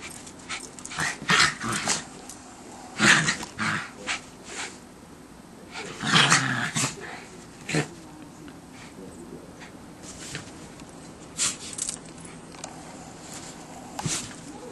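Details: Two Schipperkes playing in fresh December snow, giving short gruff growling and barking bursts near one, three, four and six seconds, with quieter scuffling and rustling between them and fainter yips toward the end.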